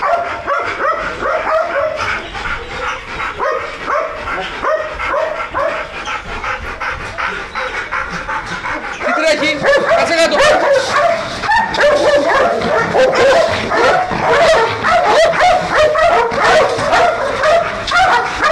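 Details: Belgian Malinois guard dogs at Nauplion, Greece, trained to guard a large industrial area at night. They give dense, agitated barking, rapid and overlapping, that grows louder halfway through. A man calls out commands in Greek.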